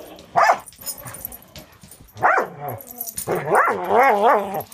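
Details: Angel, a six-month-old Border Collie mix in foster care with Wisconsin Border Collie Rescue, plays with another dog, Cisco: harmonic, wavering growl-barks rising and falling, with a longer yodelling run of warbling vocalizations at the end.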